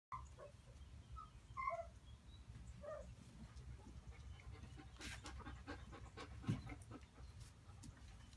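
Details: Male and female Maremma-Abruzzese Sheepdog puppies give a quick cluster of short, high whines and squeaky yips at the start, then a steady low rumble with scattered clicks and rustles.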